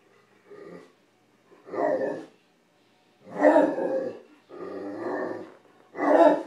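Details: Nine-month-old Great Dane puppy indoors, reacting to food he found on an unheated stove: five harmonic, grumbling moans, each about a second long, rising and falling, separated by short silent pauses.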